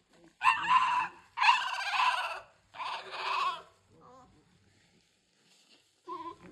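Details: American Bully puppies at three weeks old, King Clyde x Dynasty litter from 2022, let out three loud, bleating cries in quick succession, then softer short whimpers and one more brief cry at the close.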